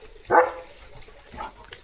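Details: Leo, a pet German Shepherd, gives one short, sharp bark with a bright harmonic ring, followed about a second later by a fainter, softer second bark in a quiet setting.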